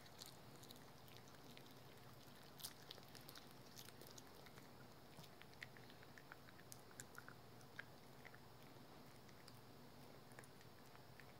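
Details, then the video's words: Rookie, a pet dog, gnawing on a dental chew: quiet, irregular crunches and sharp clicking bites scattered over a steady low background hum, with denser bursts of chewing in the second half. "우리집 강아지 루키의 먹방"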